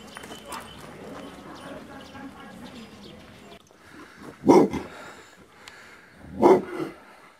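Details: Aboriginal Tibetan Mastiff, the Do Khyi of Tibet, kept as a guard dog, lets out two deep, forceful barks about two seconds apart after a stretch of low background murmur.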